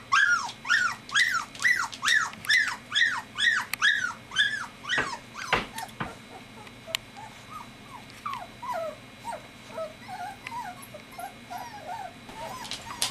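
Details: Golden retriever puppies, three weeks old, crying in quick succession: arched whines rising then falling, about two a second, then a sharp thump and softer, lower whimpers trailing off.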